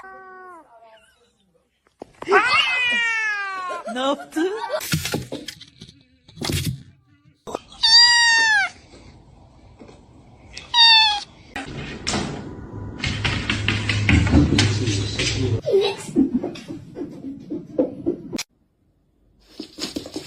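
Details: Pet cat meowing in several separate bursts, each a bright arched cry sliding down in pitch, spaced a few seconds apart, followed by rustling and a person's voice in a small room.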